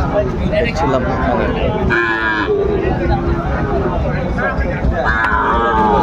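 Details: At Ambari market in Dinajpur, Bangladesh, Sahiwal bull calves are traded on 28 March 2025; brief moos sound near the start and again later, half buried under dense haggling voices and market noise.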